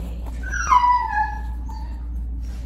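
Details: Noah, a five-year-old tan and white male mastiff/pit bull mix, gives a single high whimper that slides smoothly downward and trails off over about a second, over a steady low hum.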